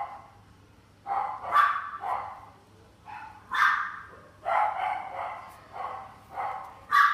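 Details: Shiba Inu kept in a pet shop, barking in short, irregular bursts roughly every second, some barks doubled, over a steady low electrical hum.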